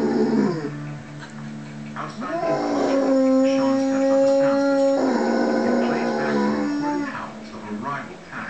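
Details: Mastiff howling while watching a wolf documentary on TV, answering the wolf howls: long, steady, tonal howls that hold level for several seconds, then glide down, with talk and TV sound in the background.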